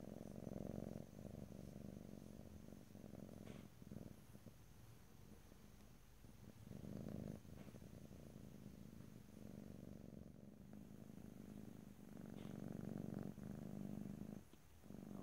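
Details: Close stereo recording of a pet cat purring: a continuous deep rumble with fast fine pulses, rising and falling in loudness over about fifteen seconds, with short breaks between breaths and a few soft rustles.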